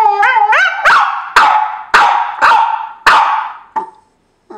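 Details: Domestic dog complaining, seemingly because another dog has taken his sleeping spot; a short rising yodel-like howl slides into five loud, harsh barks spaced about half a second apart, then silence with a faint final yelp.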